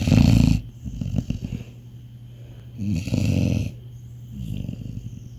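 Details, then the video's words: Labrador Retriever in deep sleep indoors, snoring loudly: deep, rough low snores roughly every three seconds, each a rattling rumble of about half a second, with quieter breathing and soft snuffles between them. "Dog SNORING (Deep Sleep Dog)"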